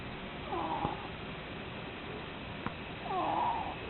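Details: Pet ferret asleep indoors, snoring: two squeaky, whistled nasal snores with a rising-then-falling tone, about two and a half seconds apart, over a steady background hiss.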